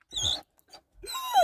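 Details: Lucy, a dog barking inside a car at other dogs seen outside: a sharp high yelp, a short pause, then a longer whiny bark with a falling tone.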